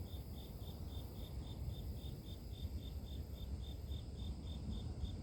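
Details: Grass insects chirping in a regular beat of high short pulses, around three per second, while a strong low rumble fills the background.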